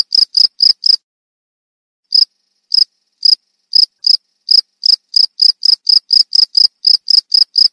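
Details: A cricket gives a quick burst of high chirps, falls silent for about a second, resumes with sparse, widely spaced chirps, then speeds back up into a rapid, regular chirping run.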